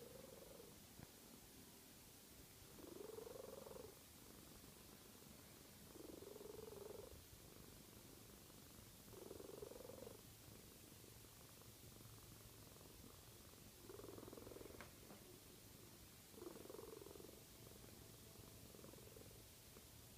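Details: A cat asleep and snoring, six rough, buzzy breaths spaced roughly every three seconds, each a short muffled rasp, with a faint low hum and steady hiss in the background.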